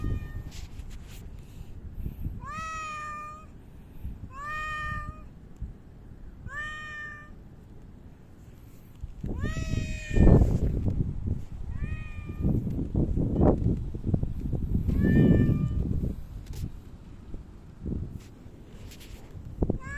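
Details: Park cats visited on 3 August 2023 after Typhoon No. 6 had passed; about six clear harmonic meows, some drawn out and slightly falling, spaced two to three seconds apart over heavy low rumbling wind or handling noise.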